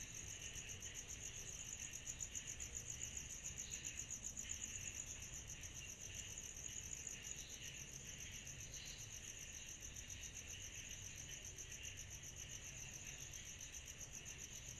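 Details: Cicadas on a summer night keep up a steady, shrill, pulsing drone, high and unbroken, with a lower buzzy layer beneath.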